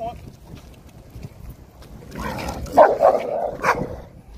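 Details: American Staffordshire Terrier being aggressive: a few low, rough barks burst out in quick succession near the end after a quieter stretch, with human voices in the background.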